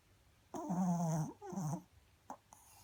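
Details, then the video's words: Snoring Pomeranian giving two droning, slightly rough breaths, the first longer and the second shorter, followed by a couple of faint clicks in a quiet indoor setting. "Pomeranian snoring"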